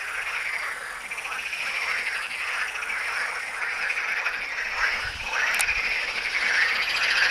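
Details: Croaking frogs at the necropolis of Tyre, Lebanon, a steady overlapping chorus of quick rattling pulses that grows slightly louder toward the end, with a short sharp click near the middle.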